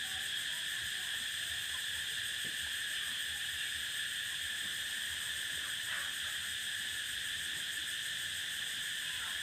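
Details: A prairie cicada chorus fills the air with an unbroken, high-pitched, shimmering buzz with a fine pulsing texture, holding level without a break, with only faint scattered sounds underneath.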